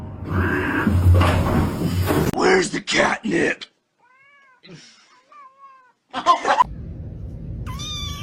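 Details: Domestic cat giving several short, high meows with clear harmonic bands, some bending up and down, after a loud stretch of human voices and thumping sounds; a final longer, steady meow ends the recording over low background hum.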